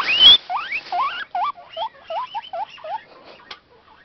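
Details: An excited male guinea pig wheeks so loudly it sounds like a whistle as its food bag is moved in the morning. A loud opening squeal is followed by a fast series of looping, rising-and-falling squeaks that fade out.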